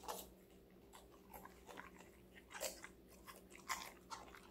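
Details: Five-month-old female Golden Retriever Connie crunches raw vegetables indoors; sharp, crackling bites come in quick succession about once a second, set against a faint background hum.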